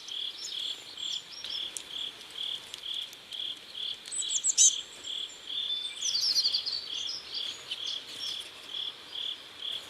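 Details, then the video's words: At sunset along a river in South Korea, crickets give a regular run of high chirps about twice per second, joined by scattered very high chirps and a twittering burst in the latter half. "Sunset River and Sound of Crickets"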